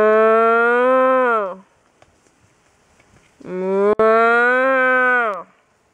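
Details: Cows being herded, two drawn-out moos about a second and a half each, the first opening the clip and the second starting after a two-second pause, both steady and slightly falling at the end.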